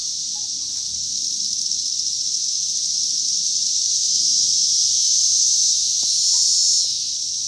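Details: High, sizzling cicada buzz from 2021 runs unbroken, gradually building to a louder, brighter peak near the end before dropping back; a couple of faint clicks and a low background hum are also present.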